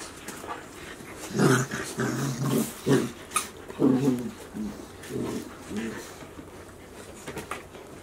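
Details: Golden Retriever puppies, 73 days old, offspring of Chiro at Ain Village, filmed 7 July 2018; a run of short, rough growling yaps in bursts between about one and six seconds, then quieter background.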